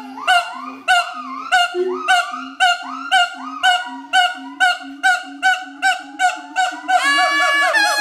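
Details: Adult siamang pair at Schmutzer Primate Center duetting in territorial song: sharp loud barks about twice a second with swooping rising whoops over low steady booms, ending in a dense sustained burst of overlapping calls.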